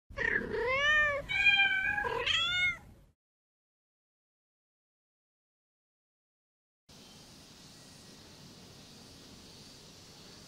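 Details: Namba, a one-eyed rescued feral kitten, gives three loud, harmonic, rising-then-falling meows in quick succession indoors, then goes silent before a steady soft hiss takes over.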